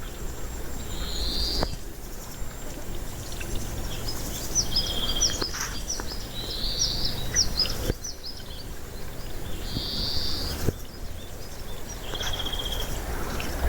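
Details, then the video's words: Siberian chipmunk giving bursts of high, thin chirps and short whistled notes, some drawn out and level, others quick and clustered around the middle, over a steady low rumble of background noise. "Сибирский бурундук What does a Siberian chipmunk sound like"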